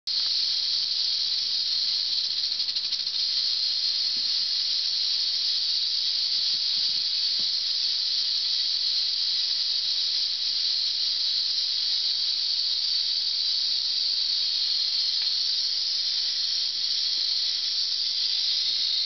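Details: Western diamondback rattlesnake, Crotalus atrox, rattling without a break: a dry, high-pitched, hissing buzz that holds an even pitch and loudness for the full nineteen seconds. No other sounds are heard.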